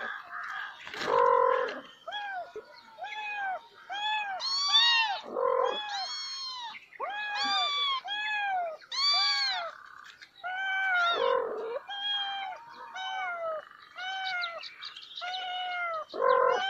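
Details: A cat with kittens giving many overlapping meows, mostly high, short and arched. Several callers seem to be meowing at once in a busy, continuous chorus, with a few lower, harsher calls mixed in.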